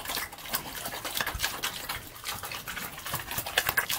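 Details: Pig eating slop: dense wet smacking, slurping and clicking chewing noises packed closely together, with no pauses.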